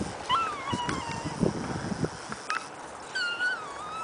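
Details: Keeshond puppies, two 12-week-old brothers named Shadow and Smoky, wrestling at play: a high, wavering whine that bends and falls, repeated twice with a short gap, over soft scuffling thumps.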